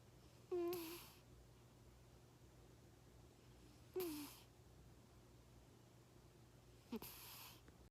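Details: Snoring cat asleep with eyes half-open: three rasping breaths about three seconds apart, each opening with a short low whistled tone that slides slightly down, against a constant quiet room hum.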